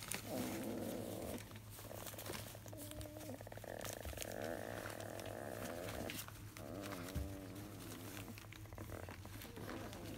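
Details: Field-line Labrador Retriever puppies, 23 days old, restless and grumpy after morning nursing, whining in long drawn-out, wavering whimpers that rise and fall, almost continuous with short breaks, over a steady low hum.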